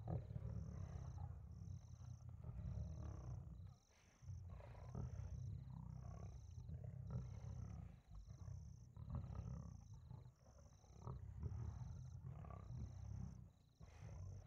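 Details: Two lions killing an impala stuck in mud at night: deep, rumbling growls and roars, sustained with short breaks around four, eight and ten seconds, overlaid by steady repeated high electronic beeps.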